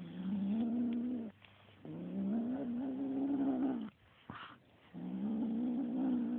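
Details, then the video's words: Young kitten growling while attacking a feather toy indoors: three long, low, rumbling growls with a steady buzzy tone, each lasting one to two seconds and slightly rising, separated by short silences and a faint thump. "kitten growling at feather toy"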